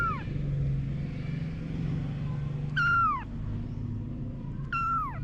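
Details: Meowing around mother cat Anna and her kittens: three clear, plaintive meows, each bending sharply downward at the end, roughly two seconds apart, over a low droning hum like a distant engine.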